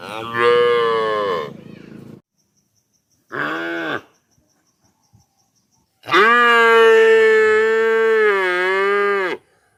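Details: Young calf moos three times: a nasal harmonic call, a brief second call, then a long steady moo of over three seconds with slight wavering pitch, separated by silence.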